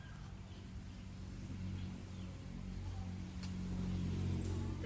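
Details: A low steady engine rumble grows slowly louder outdoors, with faint distant voices and a couple of brief sharp noises, but no clear animal call.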